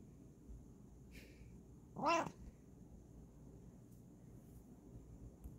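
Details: Kokoa, a Bengal cat, gives one short, rising-then-falling meow about two seconds in; otherwise only a low steady room hum and a faint high tone are heard.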